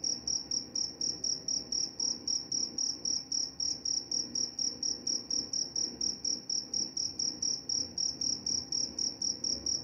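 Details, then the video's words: Continuous cricket song: rapid, bright, high chirps repeated nearly four times per second in a steady pattern, with a soft dull rumble underneath. "Suara jangkrik"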